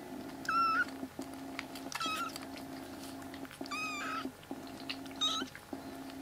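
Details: Loud cries from a foster-care litter of three rescued black kitten siblings, now walking around the room: four short, bent meows spaced about a second apart over a steady pulsing electronic hum.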